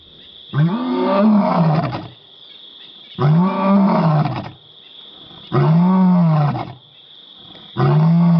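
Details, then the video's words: Zero, the pride male lion at Karongwe Game Reserve, South Africa, gives deep, drawn-out roars at observers, each swelling and fading, repeated every two to three seconds. "South Africa- Karongwe Game Reserve- Male lion Roaring"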